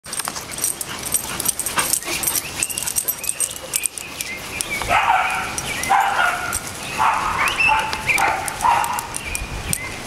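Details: Pit bull Aslan playing with a mutt dog, with Boston terriers Jeffie and Max also present; rough, harmonic barks and growly bursts bunch up in the second half, over steady background music and scattered clicks.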